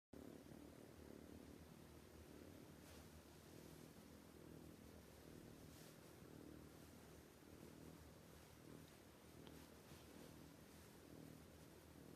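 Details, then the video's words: Sleeping domestic cat snoring loudly, a steady low rumbling drone that holds without a break throughout, with faint broadband hiss in the background. "This cat snoring too loudly, can't let it sleep"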